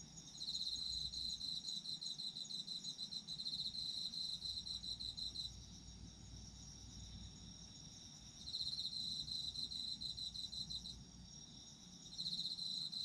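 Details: Chirping of autumn insects in bursts: a bright, rapidly pulsed high trill sounds for about five seconds, pauses, returns around eight seconds, then starts again near twelve, with a steady fainter insect hum and low rumble between.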